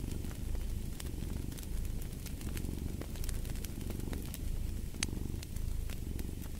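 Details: Rumbling purr from a cat, low and continuous, blended with fireplace crackle whose quick snaps come densely throughout.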